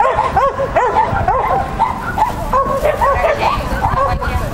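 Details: Shetland Sheepdog Lesya at a child-and-dog competition on 31 May 2015, giving rapid high yappy barks about every half second, each bark arched and ringing, with a person's voice mixed in.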